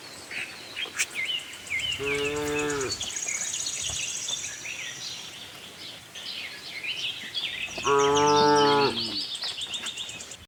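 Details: On a cattle farm, a herd of tame cows looking for grass lets out two separate low, steady moos about six seconds apart, over constant twittering birdsong.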